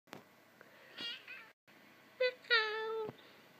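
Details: A cat meowing as it wakes up indoors. A soft chirp comes first, then a short two-part mew. After a brief pause a quick squeak leads into a long drawn-out meow that slowly falls in pitch.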